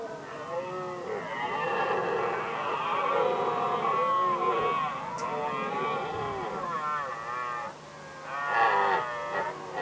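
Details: Red deer stags settling rivalry over hinds, Västmanland, Sweden, 2010: long rolling roars with undulating, groaning pitch run for nearly ten seconds, a brief lull, then a fresh rasping bellow.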